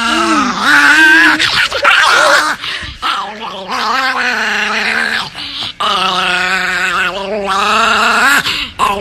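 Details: NiKi, a pet Chihuahua shown as very angry, gives long, wavering, moaning growls with a steady low tone that rises and dips, broken by short gaps; indoors, with no other clear sounds.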